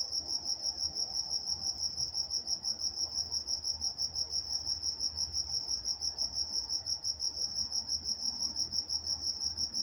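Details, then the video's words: In Walnut, California, crickets sing through the night with a bright, regular pulsing chirp near three beats a second, one faint click partway through, otherwise calm surroundings. "Nature Sounds Night Time Crickets in Walnut, California"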